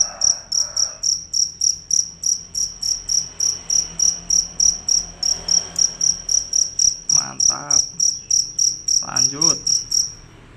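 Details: Cricket, described as fierce and loud, calling without a break: steady high-pitched pulses, about three and a half per second, with a few short voice-like sounds in the background.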